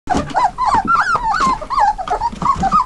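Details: Dutch Shepherd × German Shepherd cross puppies, 21 days old, from working lines, brindle Dutch Shepherd mother and black German Shepherd father; high whining squeals that rise and fall, overlapping in a steady stream, indoors.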